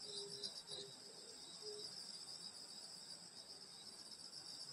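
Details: Rural summer night at a grandmother's house with grass insects producing a steady high, fizzing trill chorus; a few short low tones occur in the first two seconds, then only the insect drone continues.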